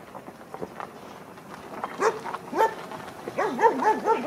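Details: A 16-week-old female Kleiner Münsterländer puppy at her first play session with mostly adult dogs, yelping and whining in short rising and falling cries, several in quick succession toward the end.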